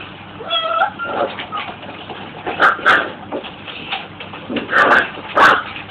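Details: Corgi indoors watching videos of other corgis on a computer, tilting its head in confusion; a high, thin whimpering whine at the start, then short sharp yelps and bursts of noise spaced through the rest.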